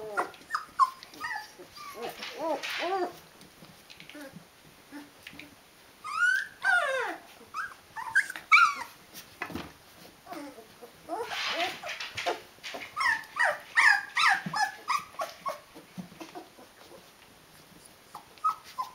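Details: Rhodesian Ridgeback puppies aged 19 days, a whole litter, producing bursts of busy whimpering and rising squeals with quieter gaps, plus rustling of bedding.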